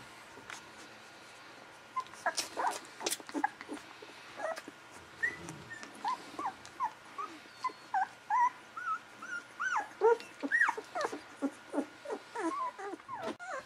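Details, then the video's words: Golden Retriever puppies, 11 to 13 days old, litter indoors; a run of short high squeaks and whimpers, many rising or bending, coming in quick bursts after a quiet start, several pups calling over one another. "Day 11-13 for the World's Cuutest Golden Retriever Babies"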